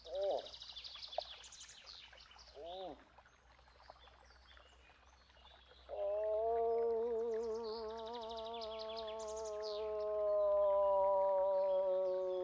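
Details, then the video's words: Moose produces a prolonged, slightly wavering moan that begins abruptly midway and holds for over six seconds, growing louder toward the end. Earlier there are only short calls and background bird chirping. "Eland geluid / Elch geräusche / Elch röhren / Verso alce"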